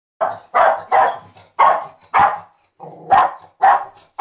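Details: Border Terrier barking indoors: eight sharp, harsh barks in quick, uneven succession, each a short broad burst, some followed by a brief low rumbling tail; no other sounds.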